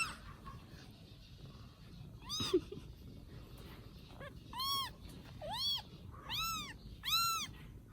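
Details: High-pitched mewing from rescued baby kittens cared for in Vietnam: after a few quiet seconds, a run of five or six bright, bowed cries comes at roughly one-second intervals against soft background noise.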